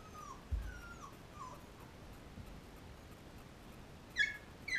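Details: Thirteen-day-old Labrador puppies nursing from their mother Cecilia: faint, thin sliding whines early on, then a pair of sharper, louder high squeaks near the end over a low room hiss.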